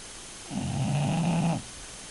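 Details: A bulldog snoring: one long, rough, low snore lasting about a second, with a steady buzzing drone and no other sounds.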